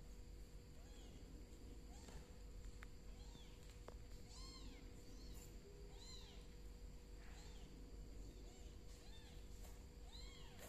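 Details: Golden adult female cat reacting on seeing a bicolor kitten crawl; repeated short arched meows, mid-pitched and rising then falling, about every second, over a steady low hum.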